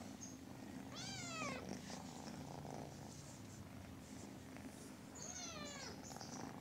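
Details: A kitten meows twice, about four seconds apart. Each meow is short and wavering and slides downward. Between calls there is a steady low indoor hum and faint rustling.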